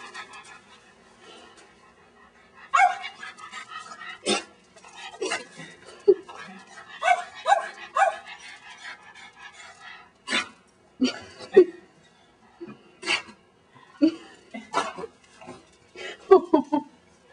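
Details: Pet dog barking while trying to catch a praying mantis, short sharp barks in irregular bursts with pauses between, a woman speaking briefly nearby.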